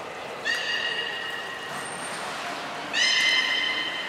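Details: From a 16 December 2018 training session with belugas Gray, Mirai and Niko at Nagoya Port Aquarium. Two clean, steady harmonic calls with stacked overtones are spaced about two and a half seconds apart. Each holds level before fading, with a faint high tone between them.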